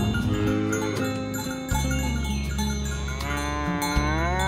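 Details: Dozens of fat tame cows herded along village roads in the morning toward a green pasture; a deep, drawn-out moo holds low over steady chiming, music-like tones.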